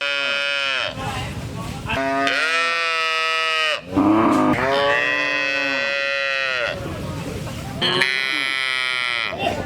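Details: Cows mooing in a series of loud, drawn-out harmonic calls, some rising then falling, following one another with brief breaks over about ten seconds.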